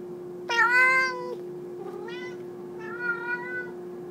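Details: Loud domestic cat meowing indoors: one long drawn-out wail, then two shorter, falling meows, over a steady low electrical hum.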